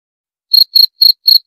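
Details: Cricket: after half a second of silence, four short, clean, high-pitched chirps follow at a steady pace, each a brief trilled pulse, with no other sounds.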